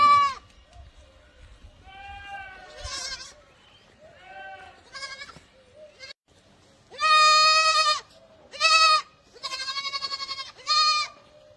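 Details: Barbari goats bleating repeatedly: a run of short, nasal, quavering bleats, some quieter and overlapping, then four loud harmonic bleats close together near the end, with faint voices underneath.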